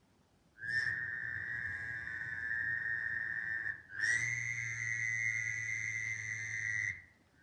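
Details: At Camp McDowell, Alabama, early in frog and toad season, a small Fowler's toad gives two long, high-pitched, nasal buzzes, each about three seconds, like a tiny airplane or a tiny sheep.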